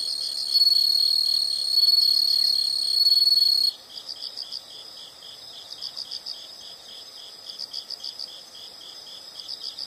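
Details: Sounds of insects at night-like calm: a bright continuous buzzing trill for nearly four seconds, then only faint, evenly pulsed high chirps repeating in the background.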